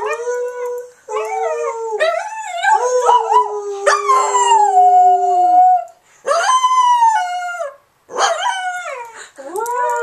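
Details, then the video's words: Charlotte, a pet dog, joins people's howling; sustained sliding howls with bright harmonics, one long falling wail in the middle, broken into several phrases with brief gaps. "Charlotte Howls!"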